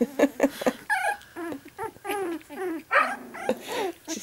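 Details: Puppies just getting mobile give a quick run of short, high whimpers and yips, several overlapping, each bending up and down in pitch, a few with a slightly rough, growly edge.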